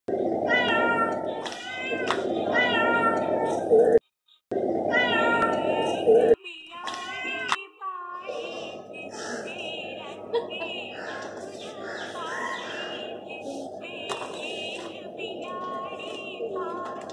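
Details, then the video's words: Mischievous kittens playing at home with a child; rapid, repeated high meows with clear harmonics, several in quick series, with steady background hum and a child's voice. "Billi ki Masti Myaun Myaun - बिल्ली कि मस्ती ...म्याऊ...म्याऊ"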